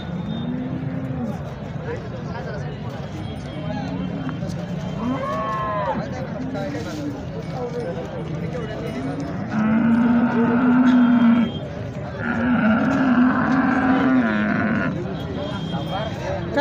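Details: Holstein Friesian (HF) cows at the Sangola cattle market in India low drawn-out moos, a short one early and two long, strong bellows near the end, over constant men's bargaining chatter and crowd noise.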